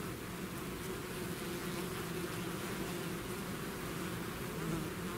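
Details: Continuous buzzing of a bee swarm emerging from its hive, a rich layered hum of many wings with slight wavering pitch and no pauses.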